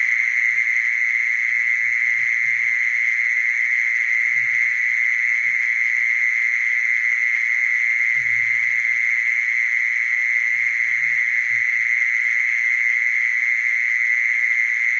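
A mole cricket gives a steady, unbroken buzzing trill at one fixed pitch, with faint low thumps.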